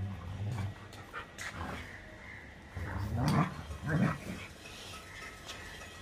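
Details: German Shepherd dog playing in Birgunj: panting breaths, then two short, low, gruff growling bursts close together near the middle, over a steady background hum.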